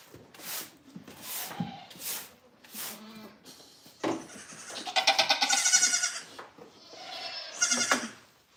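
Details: Goats at The Willful Goat Farm & Home, heard live: a few short bleats among knocks and shuffling, then a long, loud, quavering bleat around the middle and a shorter one near the end.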